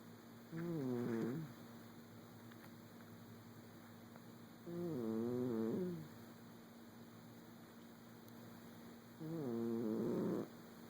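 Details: Sleeping pet cat snoring, three wavering, nasal snores of about a second each, spaced roughly four seconds apart, over a constant faint hum in a quiet room.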